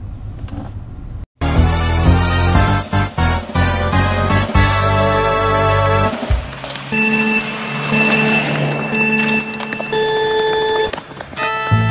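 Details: Loud backing music with sustained synth tones and beats, mixed with rumbling traffic noise and a short gap near the start; no animal calls come through.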